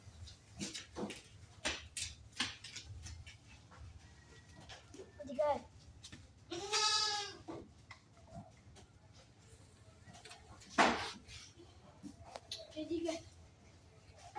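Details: Goats on an improved-breed goat farm at a friend's home give one long, quavering bleat midway, with a few shorter sounds around it, among men chatting and calling to the animals.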